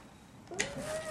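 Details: Starry, a pet cat reacting to catnip she is said to hate, gives a short, steady, drawn-out meow that settles onto one level tone, with a sharp click near its start.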